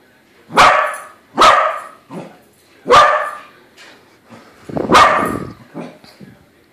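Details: Barking at a corgi balloon it takes for another dog: a corgi gives four strong, harsh barks spaced roughly a second apart, each followed by a short softer yap, with faint voices behind.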